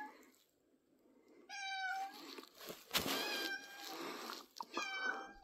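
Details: Domestic cat Pippin giving a few harmonic meows indoors, recorded 3rd April 2024, partly masked by loud broadband rustling and clattering noise in the middle.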